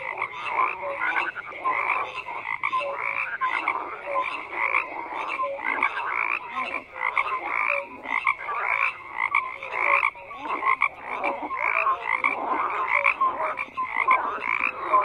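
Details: Frogs croaking in a loud, unbroken chorus; rapid rasping pulses from numerous callers overlap, with brief tonal notes scattered through and nothing else heard.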